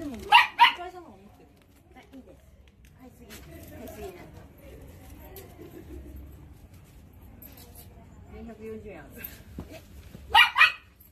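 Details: Labradoodle waiting on command for a treat, two sharp barks at the start and again near the end, with a person speaking softly in between.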